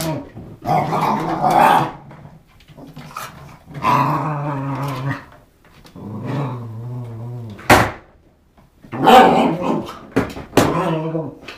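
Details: A dog playing with a skateboard, growling in low rumbling bursts with a few sharp barks between pauses, indoors.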